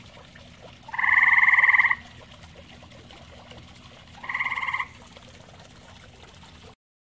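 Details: Grey tree frog in a pond shared with common toads, producing one strong, second-long pulsed trill followed after a pause by a shorter, softer trill, then quiet background.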